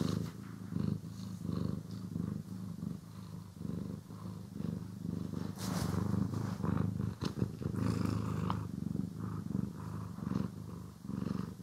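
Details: Domestic cat purring while being groomed and brushed, recorded in stereo: a steady, low rumbling purr throughout, with scratchy brushing strokes breaking in, strongest around the middle.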